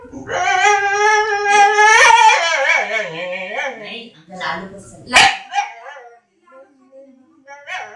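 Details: Funny noises from a dog: a long wavering howl-like whine sliding up and down, followed by broken whimpers and a sharp yelp, trailing into quiet with faint squeaks.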